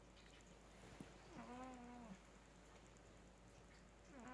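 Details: Sleeping male cat snoring like a human, louder than some humans: one drawn-out tonal, slightly wavering buzzy note held about a second, with the start of another at the end, over quiet room hiss.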